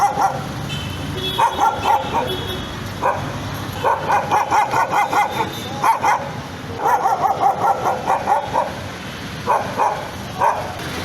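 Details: A nervous dog barks in quick clusters of high, sharp yaps separated by brief gaps, with faint background hum.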